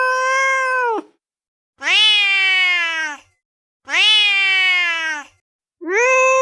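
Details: Angry cat calling in loud, harsh, drawn-out meows, each about a second long and sliding slightly downward, repeated roughly every two seconds in a steady series; nothing else heard.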